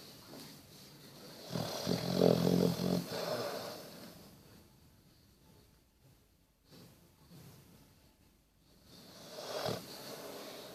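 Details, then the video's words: Basset Hound named Bertie asleep and snoring: one long, loud, grating inhaled snore early on, a quiet stretch, then a shorter snore starting near the end. "Snoring basset"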